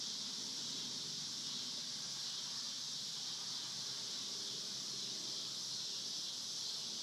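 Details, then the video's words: Cicadas on the Hard Fifty Farm give a steady, unbroken, high-pitched buzzing drone that holds constant throughout. "Recording of cicada sounds on the Hard Fifty Farm"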